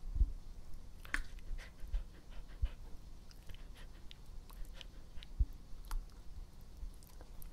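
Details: Pet dog Epo, close-up ASMR of breathing, chewing and drinking: soft, irregular mouth clicks and licking sounds with a few sharp low thumps and faint breathing underneath.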